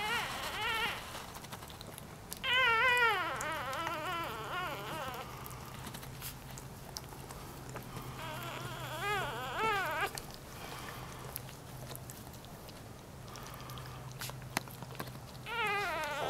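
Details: One-day-old newborn puppies from a Dachshund mother and Jack Russell Terrier father give high, quavering whines with a wavering pitch, in four bouts: near the start, a long one around three seconds, another near nine seconds, and one at the end. A steady low hum runs underneath.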